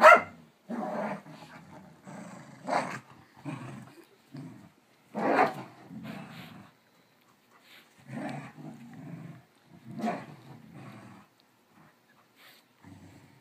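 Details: Cattle dog and rat terrier mix playing a chase game with a smooth coat border collie, running round and round: bursts of rough, throaty growls and snarls with short sharp barks, repeated every second or two, a sound fitting dogs at play.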